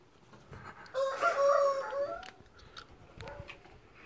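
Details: Male tiger-striped house cat, angered while being played with, lets out one strained, wavering yowl of about a second, then a fainter short growl-like call amid quiet rustling.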